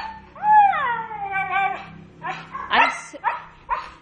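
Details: Pet dog Nina, scolded while being told to sit, gives a long, drawn-out tonal whine that rises, wavers and slowly falls over more than a second, followed by several short, rough yelps and vocal bursts.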